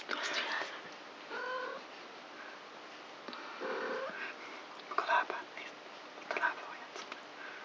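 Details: Four kittens of the cat Krampus, aged three weeks, at night play inside: several short harmonic mews spaced a couple of seconds apart, mixed with clicks, scrabbling and soft breathy noises.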